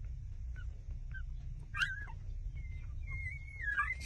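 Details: Newborn puppies, six days old, nursing from their mother; brief squeaky whimpers, then a longer thin whining whine that wavers and rises, over low background rumble.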